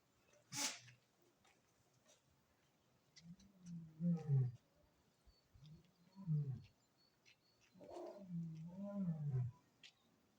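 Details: Captive lion at Maruyama Zoo, 28 February 2025: a sharp sneeze, then a series of deep, hoarse, moaning grunts, each one to two seconds long, rising and falling in pitch with gaps between them, in a quiet enclosure.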